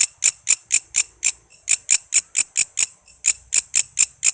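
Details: Vocal walang kece, a katydid, offered as a master sound for training murai, lovebirds, cucak ijo, kacer and other songbirds. Shrill, high, dry chirps come about twice a second with brief irregular pauses.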